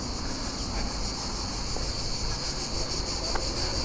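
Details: Daytime cicadas in tall trees on the Costa Daurada, Spain: a continuous high, even buzzing drone, very loud and unbroken, over a broad hiss of outdoor background noise.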